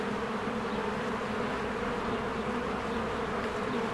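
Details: Working bees stream in and out of their hive among spring blossoms, filmed with a Canon EOS R. They make a loud, even, unbroken drone of overlapping wingbeats with a low humming core.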